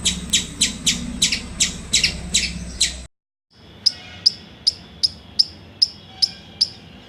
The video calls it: Squirrel Making Cute Sounds